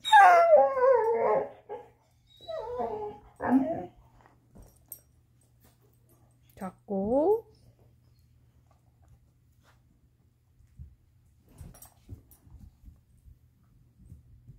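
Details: Black Lab-Coonhound cross Chaco, female, after her ball: a falling whine and rough barking yelps, then a rising whimper, followed by quiet shuffling and faint voices.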